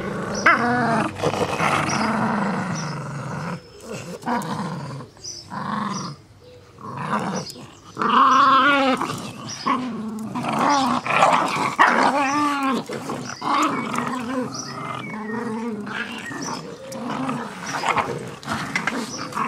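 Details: Jack Russell Terriers, two of them, playing with a soft toy rabbit: a long run of choppy growls and snarling bursts, rising and falling arcs of pitch, separated by short silences and scuffling clicks.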